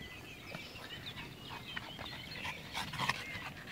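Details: Panting dog of bulldog type, fast rasping breaths with a snorty, grunting edge that grows louder toward the end.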